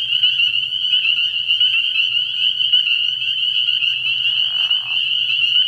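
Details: Many spring peepers calling together after dark at an early-season frog pond, a relentless high piping chorus, with a brief lower rasping patch around four seconds and a faint low drone underneath.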